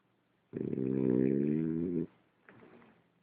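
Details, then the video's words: A single loud, rattling snore lasting about one and a half seconds comes from Ulises the French Bulldog, followed by a fainter breathy exhale and a small click. "Bulldog frances ulises roncando"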